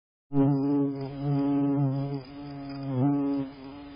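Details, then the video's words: A bumblebee buzzes the camera, its deep, steady wing buzz humming close by and wavering slightly in pitch. "Bumble Bee"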